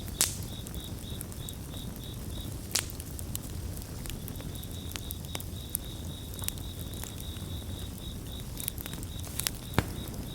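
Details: Crickets chirp steadily in a high, pulsed chorus, with rapid even trills and a short pause near the start, over the loud crackle and pop of a campfire burning close by.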